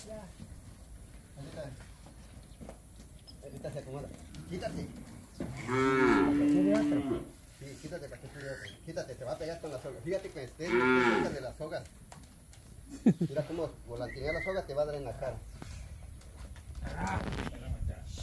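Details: Calves in Campeche, Mexico, recorded 20 August 2022 while being handled, give loud harmonic moos around six and eleven seconds, with fainter bawls between, rope work and low voices around them.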